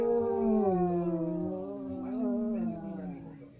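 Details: Singing dog holding one sustained, wavering howl that slowly drifts downward in pitch and fades toward the end.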